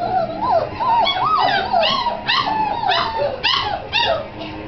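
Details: Several Great Dane puppies, January 27, 2009, whining in high, rising-and-falling yelps that come roughly twice a second and overlap in a chorus.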